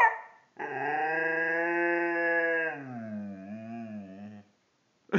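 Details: A male Siberian Husky "sings", holding a full, even howl for a couple of seconds, then sliding down into a wobbling, yodel-like tail before fading; a person talks briefly before and after.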